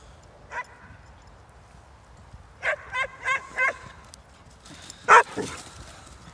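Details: Poppy and Darcy, Hungarian Vizslas running in Stewart Park, Middlesbrough: one lone yip, then a quick run of four ringing barks, followed by two louder, harsher barks near the end over a faint outdoor background.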